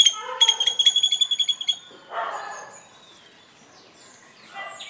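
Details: Squirrel in the morning giving a fast run of high, squeaky chirps, about eight per second for nearly two seconds, followed by softer rustling noise.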